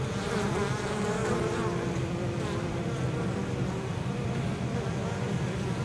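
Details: Honey bees returning to the hive on 23 October in exceptionally mild weather, carrying in large amounts of pollen and probably nectar from cover crops in nearby fields; a dense, steady swarming hum of many overlapping wingbeats, with individual bees droning past.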